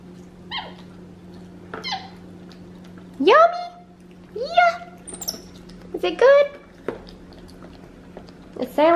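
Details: Tufted capuchin monkey, a pet in a home, eating home-cooked chicken in a high chair; a series of short rising squeaky chirps and upswept whistled calls, several repeated across the clip, with Spanish speech and a steady electrical hum.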